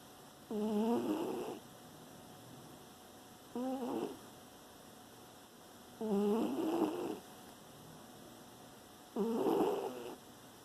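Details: Dog sleeping and snoring, recorded September 2018: rhythmic nasal snores with a harmonic, whistling edge, four bursts about every three seconds, each lasting around a second, with quiet breathing gaps between.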